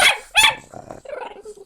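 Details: An Italian Greyhound 'talks' back when its owner asks what is the matter and whether it wants to go out: two bright, barky yelps, then a lower, warbling moan that rises and falls like a conversational reply.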